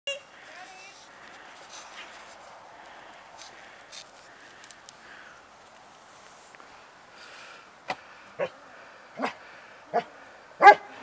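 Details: Female search-and-rescue dog giving a short bark barrel alert on a rubble pile, December 2011: a quiet stretch with faint background sounds, then five sharp, short barks spaced about half a second to a second apart, the last loudest.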